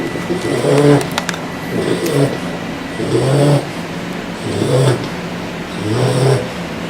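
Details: Loud snoring from a bulldog: five low, buzzy, rattling snores at regular intervals of roughly a second and a half, with a few faint clicks early on.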